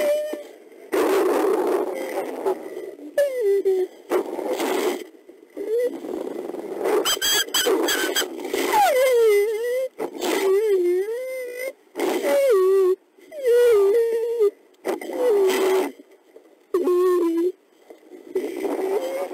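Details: Mexican gray wolf Belle (F1226), a critically endangered mother, in a cozy den at night with her six daughters born May 2017, setting family rules; wavering, high whines and squeals come in bursts separated by brief silences.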